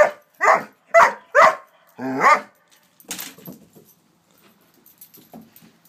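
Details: Five strong, evenly spaced barks from a nine-month-old Doberman afraid of a toy horse, the last one longer, then softer huffs and faint yips trailing off into quiet.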